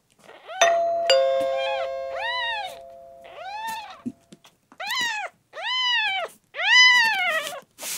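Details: Constipated, dehydrated male kitten Miel, red tabby and white, ten days into rescue, gives a run of arched high mews that grow louder and closer together; a ringing chime sounds at the start.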